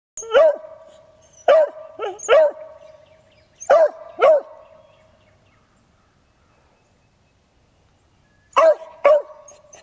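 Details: A beagle in Michigan gives sharp, harmonic barks in bursts of two or three with short pauses, at a critter in a rock pile, tail wagging.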